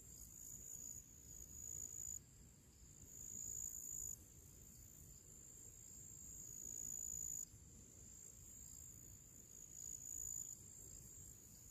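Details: A summer chorus of crickets singing their pre-evening song in nature: steady high-pitched trilling with quick pulsations, loudness stepping up and down several times, over quiet low background noise.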